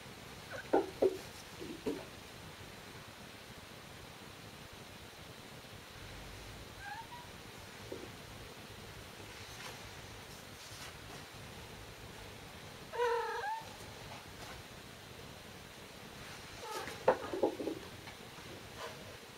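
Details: Momo, a kitten under one year old, gives a few short, sharp, warbling cries while dashing after a thrown ball made from another cat's shed fur. Bursts come near the start, midway and near the end, with quiet room noise between.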